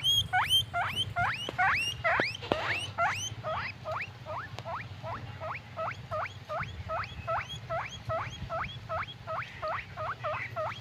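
A guinea pig gives rapid, high squeaks that sweep upward, repeating two or three times a second.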